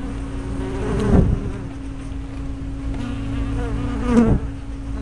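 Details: Honey bee hive entrance, 24 May 2012, spy-camera recording: a low droning buzz, swelling twice as single bees pass near, over a steady background hum.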